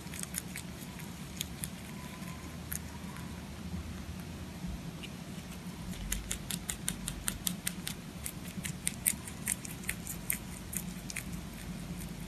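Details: Close-up of a pet rabbit eating: scattered soft nibbles, then a run of crisp, quick crunching clicks in the second half. Faint low rumble in the background.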